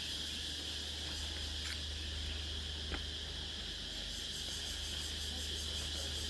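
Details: Nang Yuan Island insects at dusk keep up an unbroken high buzzing chorus, layered with faster pulsing trills, plus a couple of sharp clicks.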